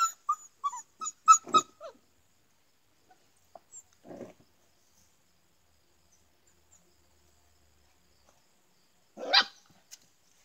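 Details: Standard Poodle puppies: a cluster of brief high, tonal whimpers in the first two seconds, a soft low sound near four seconds, then a single short bark near the end, with long quiet gaps between.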